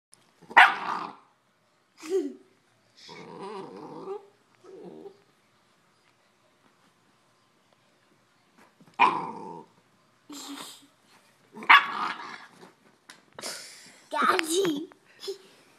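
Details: An 8-week-old Neapolitan Mastiff puppy playing alongside an 8-month-old Bullmastiff indoors: short, harsh barks and rough growling rumbles come in about eight separate bursts, with a long quiet gap mid-way and a denser flurry of yaps toward the end.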